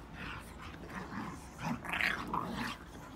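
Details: English Bulldog and Standard Schnauzer at play indoors: rough, throaty growls and short yips come in uneven bursts, the loudest grumbling cluster about two seconds in, over a low background rumble.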